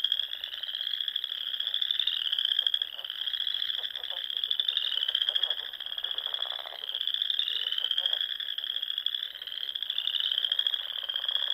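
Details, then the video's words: Many frogs calling together at dusk in spring by small lakes of the Sandhills, Nebraska; a constant high-pitched trilled chorus pulsing in waves, with scattered lower rapid croaks mixed in. "RELAXING SOUNDS OF FROGS"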